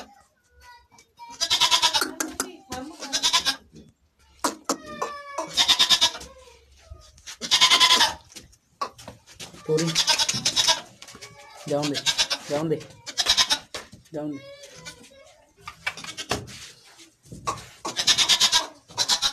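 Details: Pure Barbari goats at an Assam goat farm bleat repeatedly, coarse and rasping calls coming in uneven bursts roughly every two seconds, some short and some drawn out, while people speak quietly in the background.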